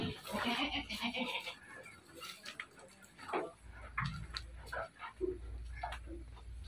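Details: Dairy goats on a livestock farm in the city of Bogor, Indonesia: one wavering, harmonic bleat fills the opening second and a half, followed by scattered short knocks, rustles and faint farmyard clatter against steady background hum.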